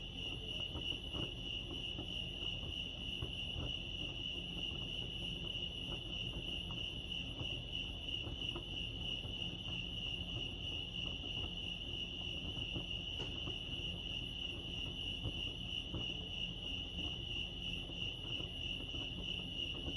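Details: Constant high pulsing chirps of crickets at Lake Arrowhead, California run unbroken for the whole stretch, with a brief click partway through and a low steady rumble beneath.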